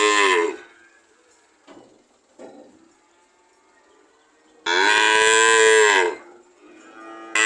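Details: Cow mooing, one strong drawn-out moo lasting over a second in the middle, bracketed by cut-off moos at either end, with a couple of faint soft knocks in the quiet gap.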